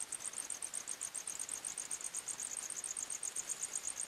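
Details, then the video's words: Forest crickets at night, chirping in quick shrill pulses about three per second, a bright high trill with a second insect overlapping just below in pitch. "45 Minutes Criket Sounds, Night time Forest Sounds"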